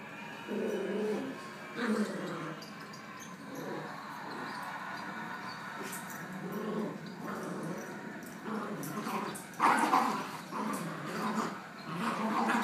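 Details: Alaskan Malamute and Jack Russell in a rope tug of war, low rumbling growls with whimpering bursts, rising in intensity around the middle and later seconds, with human voices in the background.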